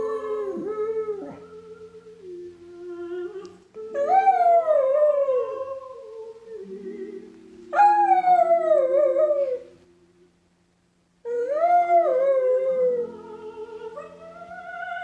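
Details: Dog howling indoors during the opening of a film. Long wavering howls rise and then slide down, in three main bursts of about two seconds each, over soft background music and humming.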